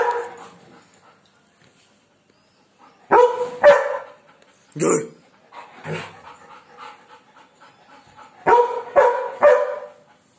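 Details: A German Shepherd barks at birds, giving loud, harsh barks in quick bursts, some doubled, with quieter whines between.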